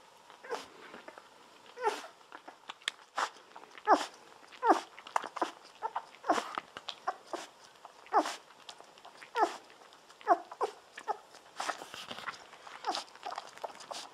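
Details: Golden Retriever babies at 17 days, drinking milk from a bottle on their backs, make guinea-pig-like squeaks. Frequent uneven sucking clicks and short squeals follow closely, some overlapping, in a small quiet room.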